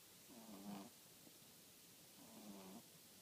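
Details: French Bulldog snoring: two drawn-out, low, harmonic rasping breaths about two seconds apart, each swelling slightly then fading, over a steady hiss.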